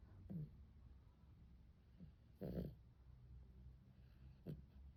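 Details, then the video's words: Snoring from Arjuk, a dog fallen asleep on its back in the heat: faint low rumbles broken by three short, raspy snorts roughly two seconds apart, the middle one loudest. "Arjuk the dog has fallen asleep on its back because of the heat and is snoring."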